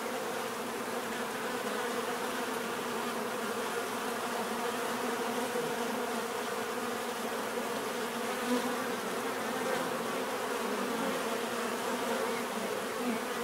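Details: Steady hum of bees buzzing naturally, a thick droning texture that stays constant, with brief brighter buzzes passing now and then.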